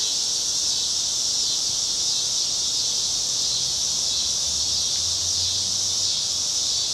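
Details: Chorus of summer cicadas on a Chicago street, cloudy August evening, 2010. Unbroken shrill buzz held at the same intensity from start to finish, with a faint low rumble underneath.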